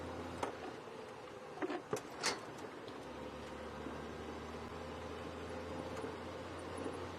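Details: Faint steady background hiss with a few soft knocks and clicks, and no animal calls.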